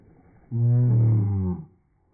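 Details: Pet dog giving a deep, rumbling roar likened to a grizzly bear's: one steady, low, harmonic-rich groan lasting about a second, rising slightly then fading, in a quiet indoor room.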